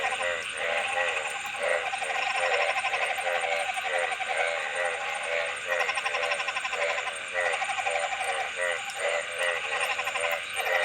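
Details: Dense frog chorus of quick, rattling pulsed calls repeating irregularly, several callers overlapping, over a constant high-pitched background hum.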